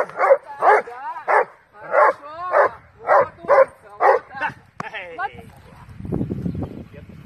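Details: Doberman Duglas gives a run of about ten loud, harsh, deep barks, evenly spaced at roughly two per second, during IPO protection training with a helper; the barking stops near the end, leaving low scuffling. Doberman.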